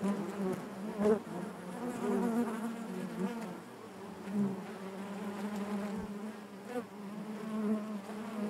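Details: Colony of honey bees humming inside the hive, an even, dense buzz with overtone bands that wavers slightly in volume, plus a few soft taps.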